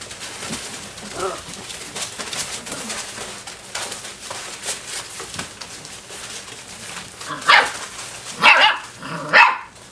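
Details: Group of Dobermann puppies aged six weeks and five days, playing together with a flirt pole; steady scuffling and rustling of play, then three sharp, high yelping barks close together near the end.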